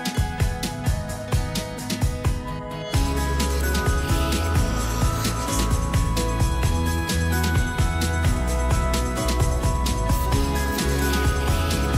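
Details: Background music with jingling bells and a driving rhythm fills the whole stretch, with no animal voice audible.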